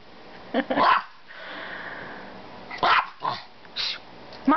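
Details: Pet Maltese dog barking in short sharp bursts, about four barks spaced irregularly over several seconds, with quiet room noise between them.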